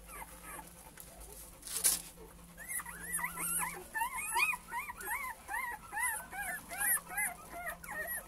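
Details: Several male Cane Corso puppies whine in quick succession; after a quieter start, bright wavering whimpers repeat about twice a second, rising and dipping in pitch, over a low electrical hum.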